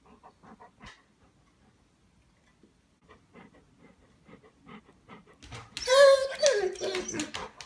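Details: Golden Retriever being pet-sat at Christmas 2016 as Santa arrives. Quiet talking and soft sounds come first, then a sudden loud, rising and falling whine-yelp mixed with noisy scuffling near the end.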